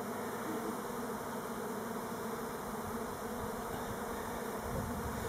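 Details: Elgon Buckfast honey bees making orientation flights, not swarming, on Timrarö near Stockholm, Sweden: a dense, steady, low hum of many wings, unbroken and even in loudness throughout.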